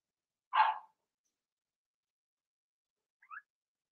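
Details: Cavalier King Charles Spaniel puppies, six Blenheim pups from Remy's first litter born March 7–8, in an indoor home puppy pen during potty training; one sharp, high yipping bark, then a faint short squeak three seconds later, otherwise quiet.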